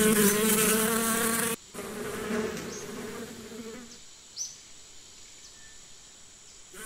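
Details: A strong bee hum for about a second and a half, then a softer buzz fading away into near quiet with a few faint high bird chirps.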